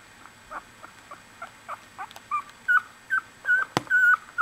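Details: One-week-old Australian Bulldog puppies in a litter, giving a run of short high whimpers and squeaks, faint at first and growing louder, about two or more per second, with a sharp click near the end.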